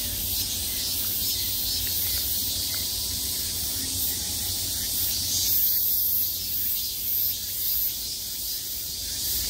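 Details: A wall of cicada buzzing in midsummer, many insects calling at once in a steady shrill hiss that swells slightly around the middle, with a soft low rumble underneath.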